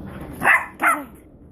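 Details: Shih Tzu puppy, 14 weeks old, playing with a big basketball indoors, gives two quick high yapping barks about half a second apart, with a quiet room behind.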